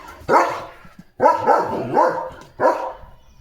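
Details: Leo the German Shepherd, on alert duty after his bath, gives three or four deep, gruff barks in quick succession, with a short gap after the first bark.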